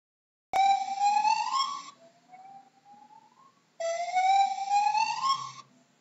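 Two loud, bright whoops from a gibbon sweep upward and break off sharply, separated by a quieter, gliding hoot. The notes have a ringing, almost siren-like quality typical of these apes.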